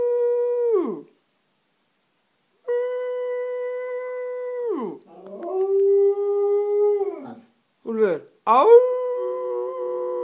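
A husky-samoyed mix dog howls in long, steady tones that sag downward at the end.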